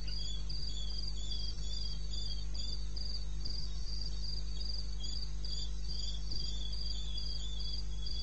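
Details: Night chorus of crickets from wild eastern Botswana, recorded at 2:30 am on 21 May 16: two layers of shrill pulsed chirps repeat at a brisk, slightly uneven rate over a constant low rumble.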